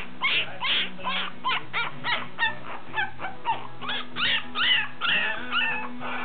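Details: Black toy poodle puppies, two males and one female, at a kennel, whimpering in rapid high-pitched squeaky cries, roughly two per second, each short and wavering, with a low steady hum underneath.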